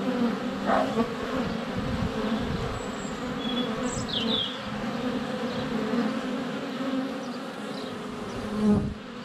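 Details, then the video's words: Honey bees flying constantly around a GoPro Hero 7 Black at the hive entrance in sunny February: a continuous layered buzz with passing bees swelling louder, clear bright bird whistles and chirps near the middle, and occasional bumps. "4K Honey Bees - ambient video and audio"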